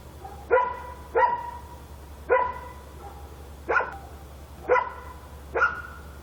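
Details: Night-time dog barking recorded in Korea; six loud, clipped barks spaced about one second apart, with a constant low background hum.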